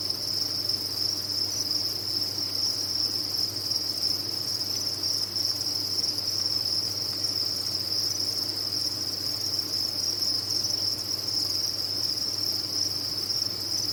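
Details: A large number of farmed crickets produce a continuous shrill, ringing chirping chorus at an even level from start to finish, over a soft low-pitched hum.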